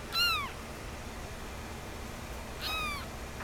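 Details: Kittens at play indoors; two clear descending meows, one at the start and another about two and a half seconds later, each short and bright with strong harmonics, over a steady background hiss.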